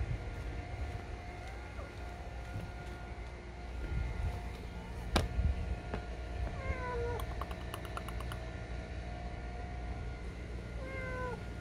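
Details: Stray mother cat crying while hiding under a parked car near an apartment entrance as she carries her kittens; two or three drawn-out, falling meows late on, over steady low traffic rumble.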